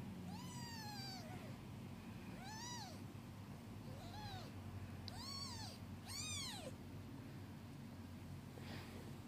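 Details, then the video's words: Mother cat cleaning her newborn kittens before napping: five arched meows, rising and falling, uneven in spacing and loudness, the later ones stronger and higher, against a low constant hum. "Cat mom grooming her kittens"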